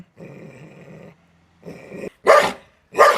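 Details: Leashed Belgian Malinois confronted in a dog challenge gives a sustained low growl, a brief pause, a second shorter growl, then two loud, explosive barks about a second apart.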